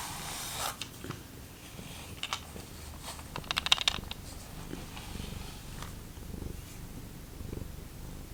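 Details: Domestic cat in a household of rescued feral cats purring indoors, a steady low rumble pulsing in soft breathy cycles, with a few light clicks and rustles nearby.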